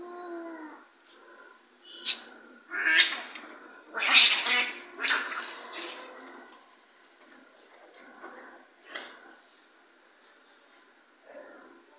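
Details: Domestic cats in a real fight, a brief yowl opening into a run of harsh spitting and hissing bursts, irregular and noisy, fading into quieter rustles.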